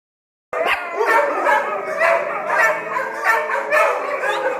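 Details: Dogs on high alert at a countryside retreat, barking steadily after a brief silence: loud, ringing, slightly howling barks repeated about twice a second, overlapping voices with a drawn-out tone between them.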